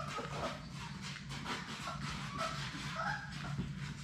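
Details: Labrador Retriever puppies at play in their play room, part of Sadie's litter of six; a few short, thin whimpers rise and fall near the middle and end over soft tapping of paws and a steady low hum.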